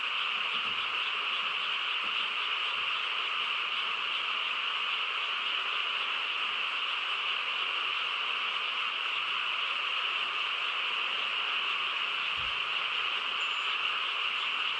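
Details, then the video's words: Countryside frogs in full nighttime chorus, a constant shimmering mass of croaking trills with no gaps, plus a single brief low thump near the end. "고요한 시골 밤에 개구리 합창 소리"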